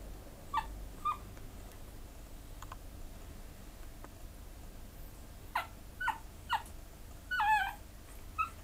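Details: Pekingese dog awaiting an adoptive home gives short, high, tonal whimpers, a pair near the start and a cluster of several thin whines later, over a quiet indoor background.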